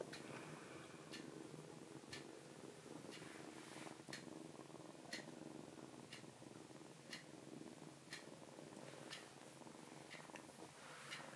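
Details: Soft, steady, rumbling purr from a foster rescue kitten indoors that is hiding its paw to avoid nail clipping. A faint click ticks about once every second in the background.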